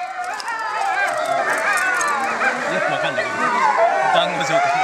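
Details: Captive timber wolf family at Higashiyama Zoo, two parents with young born in 2010 and 2011, howling together: several overlapping wavering, sliding tones weave over one another continuously throughout.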